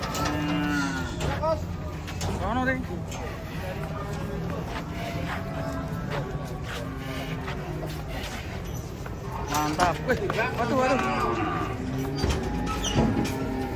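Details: Cattle leaving a truck give short, low moos at irregular intervals across the recording, over constant rumbling background noise and scattered human voices.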